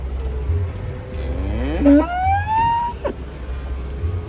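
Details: Moo from cattle brought in on trucks: one call sweeps upward from a low groan into a higher, strained tone before breaking off, with a rumbling engine underneath and scattered clanks.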